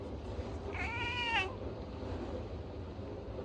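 A Bengal cat greets with one brief, tonal meow that holds steady and then dips slightly at the end. A steady low hum runs underneath throughout.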